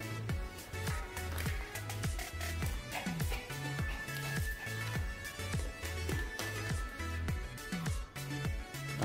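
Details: Background music with a steady thumping beat and melodic layers plays throughout, without any barking or other animal sound.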